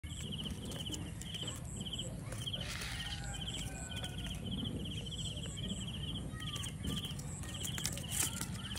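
A sugar glider gives a steady series of short, high, clipped yapping notes over low rumbling noise.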